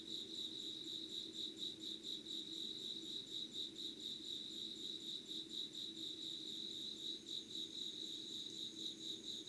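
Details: Insect voices at dawn, 05:00, 25 August 2019, Yugawara in Kanagawa Prefecture, Japan: a bright, shrill rhythmic trill repeating in fast even pulses throughout, a fainter higher buzz above it and quiet low ambient hum.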